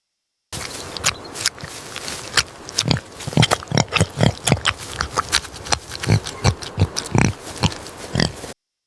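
A pig grunts and oinks in a steady run of short, rough, low snorts, about two each second, for eight seconds.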